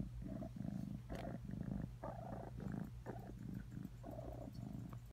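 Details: A house cat rumbling contentedly, its low buzzing purr pulsing in rhythmic surges roughly twice a second, with faint background noise.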